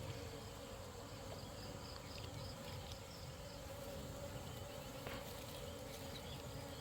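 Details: Honey bees in the dark at night, disturbed during a nighttime honey hunt: a dense, steady buzzing hum with a low droning band, constant throughout, plus faint scattered ticks and crackles.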